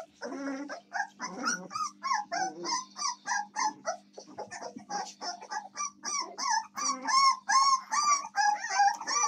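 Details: American Staffordshire Terrier puppies, recorded 7 May 2024, whimpering and whining in a rapid run of short, high, wavering squeals, roughly two to three per second, with a few rougher low yelps near the start.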